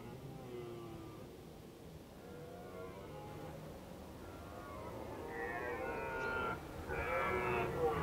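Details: Red deer in autumn at Krasny Bor on 1 October 2015, during an Indian summer. Hoarse harmonic calls start faint and wavering, then swell into louder, rougher drawn-out bellows over the last few seconds, with low rumbling background.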